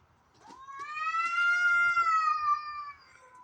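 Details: Backyard domestic cats in the morning, white and orange, possibly fighting or a female in heat: a single sustained, tonal howl that rises, holds, and slowly falls away over about two and a half seconds.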